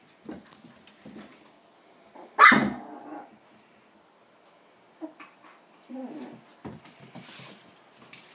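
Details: Ava's seven-week-old puppies, including Molly, wrestling in their crate; a single loud bark midway, surrounded by softer yips, whines and scuffling noises at intervals.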